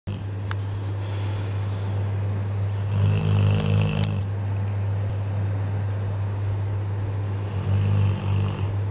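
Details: Ten-month-old female Bullmastiff puppy asleep indoors, snoring in low rumbling breaths that swell into louder snorts around three and eight seconds, over a steady low mechanical hum.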